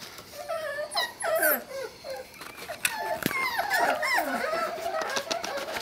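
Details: Several Sealyham Terrier pups of the Peanut gang litter (Chuck, Sally, Lucy, Patty) give thin, wavering whimpers and short squeaky yelps, some sliding downward, in an uneven overlapping chorus within a small room.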